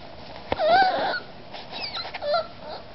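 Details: Eight-week-old Miniature Pinscher puppy whining for attention while trying to climb onto a couch; thin, high, wavering whines rising and falling, with short squeaky cries and faint scuffling between them.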